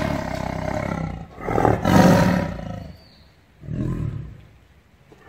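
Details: Tiger kept in a cage, roaring in anger: a long rasping roar swelling to a loud peak near the middle, then silence, then a second shorter, softer roar.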